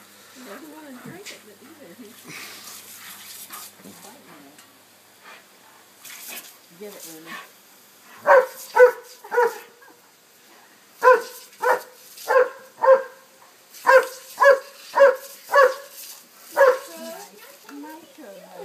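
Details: Remy, a dog running from one sprinkler to another on his first day seeing one, is heard after a person speaks. He then lets out a long run of about a dozen loud barks, roughly two each second.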